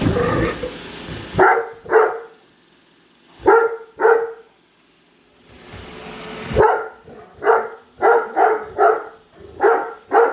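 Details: Great Dane Padme follows and barks at a new Roomba until it returns to its charger; deep barks in pairs separated by quiet gaps and vacuum noise, then a rapid string of six or seven barks.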